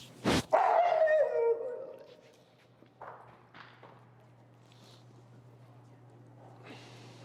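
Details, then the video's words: Feral husky Finnegan voices loud protest while being taught heel under leash pressure: a sharp bark, then a falling whine-howl sliding downward over a second, followed by quieter snorts and a steady low electrical hum. "Extremely Vocal Feral Husky, Disagreeing With A Behavior"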